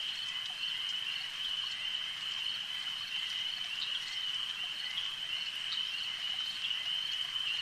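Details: A lake's frog chorus rings as one bright, unbroken high trill, dense and even in volume, with occasional faint clicks standing out above it.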